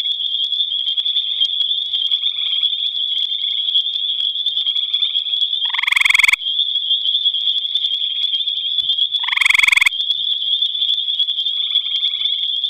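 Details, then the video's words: A gray tree frog singing at night in the Albany Pine Bush gives two short, loud, musical trills over a steady high insect drone. "Gray Tree Frog Singing"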